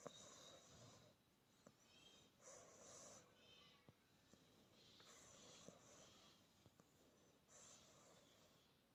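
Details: Australian Bulldog puppy snoring softly while asleep, with hissing, airy breaths repeating about every two and a half seconds in a quiet room.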